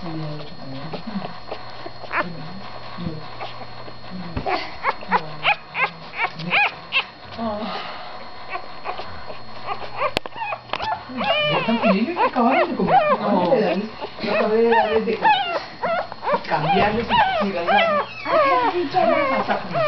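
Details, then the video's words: Domestic dog puppies from a litter, recorded in November, giving many overlapping high whines and squeals that rise and fall, busier in the second half, with a person talking softly in the background. "luna's puppies"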